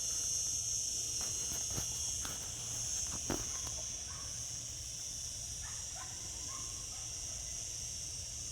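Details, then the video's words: Cicadas singing in summer, a high continuous shrilling drone, joined early on by several sharp clicks or taps and a few faint short chirps later. "Cicada sounds, cicadas singing in summer."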